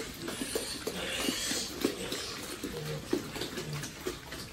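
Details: Pigs raised for sale on a family farm, making short low grunts and snuffles in quick irregular bursts over a steady patter and rustle, in a small enclosed space.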